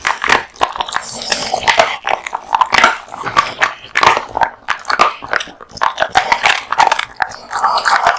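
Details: Close, loud crunching as a male American Bully chews raw meat and bones, with sharp cracking bites and wet, smacking mastication coming in quick clusters separated by short pauses.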